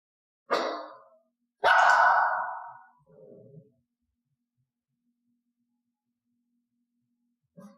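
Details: Elaine, a pet dog in clicker training, barks on cue after a 'talk talk' hand gesture, trained to give loud piercing barks rather than growls or quiet ones: two sharp, loud barks close together, then a soft, low murmur and quiet.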